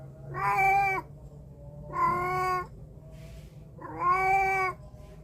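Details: Cat meowing, captured with a Samsung A53 phone mic: three clear, even meows roughly once every two seconds, each about half a second long, with a low background hum between them.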